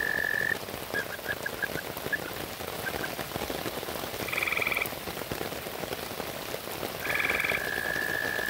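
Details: American toads calling at a pond edge in heavy rain during a territorial scuffle: a trill ends, scattered short notes follow, then two brief higher trills from other toads, and a steady trill resumes, all under heavy pattering rain.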